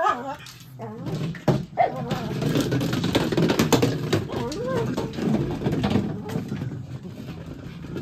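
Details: Mitzi, a pet dog, chases a large ball while barking; rapid, uneven barks and short whimpering yips crowd together over a steady low background rumble, with some human voice mixed in.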